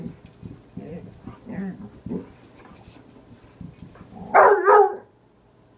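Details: A dog that hates one particular piece of wood gives two sharp, loud barks at it in quick succession after quiet murmured speech.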